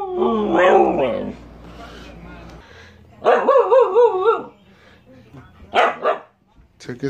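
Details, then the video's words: Pet dog makes wavering, howl-like calls in two long bouts with vibrato, separated by a quiet pause. Shorter sharp bark-like bursts follow near the end, with a person's voice nearby. "howling/barking compilation"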